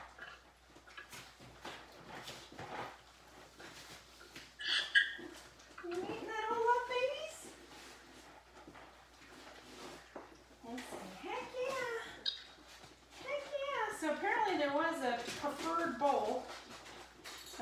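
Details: Litter of seven Labrador retriever puppies playing indoors one morning, snarling and barking; several pups let out wavering high whines and yelps in overlapping bursts while people talk nearby.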